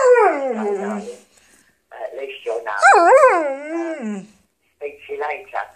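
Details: Pet dog chatting along to answerphone messages, giving drawn-out, wavering howl-like vocalisations that rise and fall in pitch, in several bursts separated by short pauses; a recorded voice on the answerphone is also heard.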